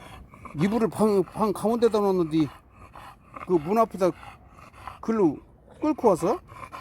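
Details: Sulking on arrival home from Gageodo, pet dog Kan voices bursts of warbling, wavering whines with bending pitch: a long two-second run, then shorter clusters separated by brief pauses.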